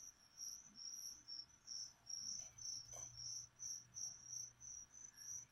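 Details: Indoors, feeder crickets for a leopard gecko keep up steady shrill chirping, pulsing roughly two to three times a second, with soft handling noises in the background.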